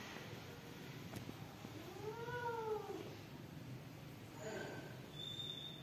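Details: Newborn house kitten giving a single arched meow that rises then falls, lasting about a second, followed by a fainter, shorter cry and a thin high whistle-like tone near the end; quiet room hiss underneath.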